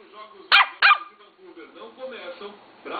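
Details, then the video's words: Lhasa Apso puppy, three months old, giving two sharp high yaps about a third of a second apart, followed by quieter murmuring voices and faint rustling in a room. "Lhasa Apso Tobby... SapeCÃO..."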